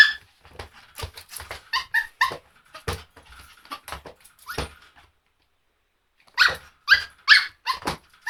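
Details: Dog barking indoors in a small room: rapid runs of short, sharp barks with some yelping tones, a pause of over a second near the middle, then a louder burst of barks.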